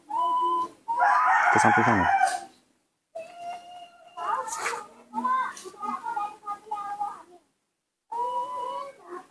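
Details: A young captive monkey calls while its father is away. A loud, harsh, screechy outburst gives way to strings of steady whistled tones and chattering notes, broken by short silences, with a few harsher squeals mixed in.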